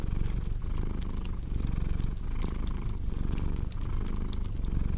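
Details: Domestic cat purring for relaxation and deep sleep: a steady low rumble pulsing in breath-length waves, overlaid by sharp pops and snaps from a crackling fireplace.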